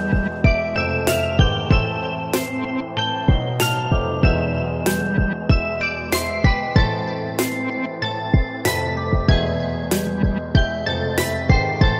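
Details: Soft keyboard music with sharp rhythmic clicks at regular intervals, no animal voice heard.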